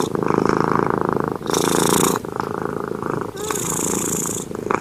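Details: Cat snoring while asleep: a long rumbling rasp followed by breathy hisses, two full breath cycles in a few seconds, with a faint squeaky wheeze near the end.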